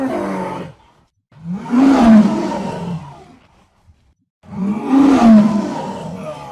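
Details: Jaguar giving two long, rough roars, each rising then falling over about two seconds, hoarse and breathy with a throaty tone, separated by a short pause.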